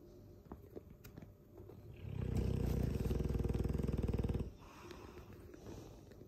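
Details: Dogue de Bordeaux mastiff asleep and snoring loudly: after a quiet stretch, a deep, throaty rattle of rapid low pulses swells for about two and a half seconds, then stops abruptly, leaving faint room noise.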